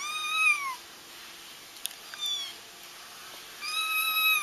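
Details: Kittens crying, a sound used to help trap a feral mother whose kittens were already found: a high, harmonic cry sliding down in pitch, a quiet stretch with faint clicks, then another sustained cry starting near the end.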